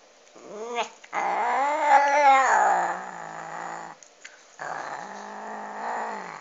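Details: While eating a duck bone, a cat makes a short rising yowl followed by long, gravelly growling moans that waver in pitch, with brief gaps between them.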